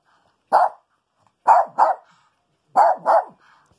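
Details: Rico the Maltese dog barks while hunting for a skunk hidden under the house during rain: one single bark followed by two quick doubled barks, each short and sharp, in an otherwise quiet room.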